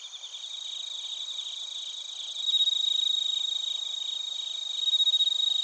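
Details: Chorus of crickets, including bell crickets, in Narita, Chiba, Japan; high continuous trilling with a clear ringing tone, pulses repeating about every quarter second, the nearest caller growing louder midway.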